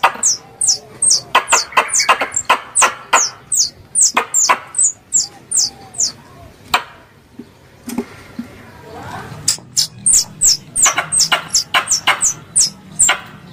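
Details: Lure recording of a squirrel from the Mount Kelud hunting community in Kediri, Indonesia: quick strings of shrill descending chirps, roughly two per second, broken by a pause and a few softer lower notes midway before the chirping resumes.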